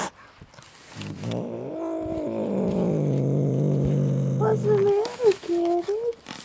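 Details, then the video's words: Domestic cat Jinxie, resisting removal from under a chair, gives a long low throaty growl lasting several seconds that ends in short wavering whines, with a person speaking softly over it. "Pyscho Cat"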